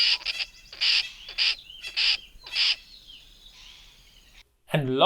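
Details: A tree squirrel, whose call can be mistaken for a brown-hooded kingfisher's, gives six harsh, buzzy bursts about half a second apart, then fainter, thin rasping. A man starts speaking at the end.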